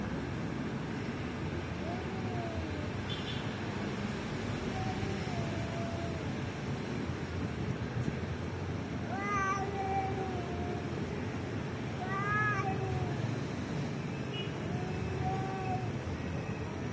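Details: Fighting cats trade long, moaning yowls with bending pitch, some short and upward-swooping, spaced a few seconds apart over a constant low background rumble.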